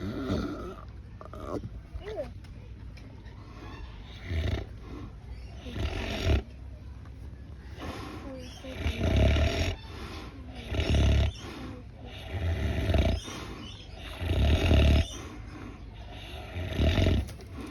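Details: Pig snoring at Swan Valley Cuddly Farm, Perth: deep, gravelly snorts in loud bursts roughly every two seconds, each a rasping low rumble, with people chatting nearby between breaths.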